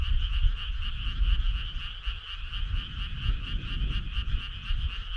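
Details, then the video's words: Frog chorus on a summer night: dense overlapping croaking forms a steady two-toned trill, with rapid pulses over the higher tone; low rumbling noise runs underneath throughout. "Cool frog sound"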